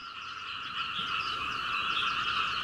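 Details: A dense night chorus of many frogs, recorded from a second-floor window of a house in Hunei, Kaohsiung, Taiwan, on 21 May, croaks all night until dawn, a steady mass of overlapping rapid croaks merging into a rattling drone.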